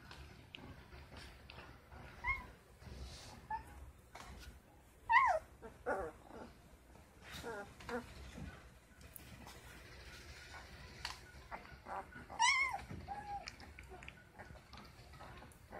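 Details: Ten-day-old Great Dane puppies indoors, making a few thin, high squeaky whimpers spaced several seconds apart, with soft shuffling and rustling between them.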